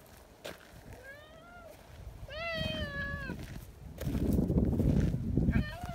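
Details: Talkative silver tabby community cat, friendly, calling out to someone hiding behind a bench; several clear, rising-then-falling meows, one long and drawn out, with rustling and a low outdoor rumble late in the clip.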